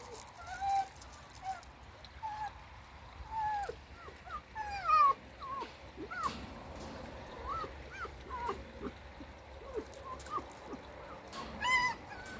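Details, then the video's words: A pet red fox in a bad mood whimpers with thin, wavering whines and brief yelps scattered through the recording. Quiet music and room noise run beneath, and a person speaks briefly. "У лиса плохое настроение"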